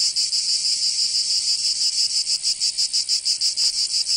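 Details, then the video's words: Cicadas singing in summer in Provence, southern France: a dense, high, hissing buzz that throbs in rapid even pulses, several per second, with a steady, unbroken drone and no other clear sounds. "Canto Cigarra"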